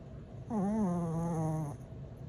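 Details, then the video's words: A sleeping dog lets out a single drawn-out, voiced snore lasting over a second, a steady low hum with a slight wobble at its start, fading abruptly; quiet room otherwise. "snoring dog"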